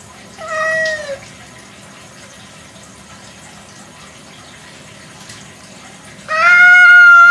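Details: Kampung cat, a domestic cat, at night: one falling meow with a bright harmonic stack. A long quiet gap follows, then a second louder meow with a steady, slightly wavering tone near the end.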